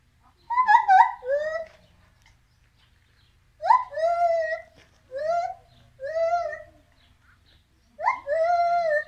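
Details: A caged monkey at Germendorf animal and leisure park, Germany, on 18 October 2018, gives drawn-out, tonal wails, each rising sharply then holding level, in short bursts.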